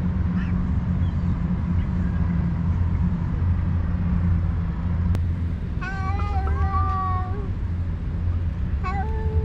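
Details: Stray cats on a cat island, two alpha cats leading rival groups vocally fighting while the others eat; after a long stretch of low rumble, a drawn-out harmonic yowl wavers for about a second and a half, then a short cry follows.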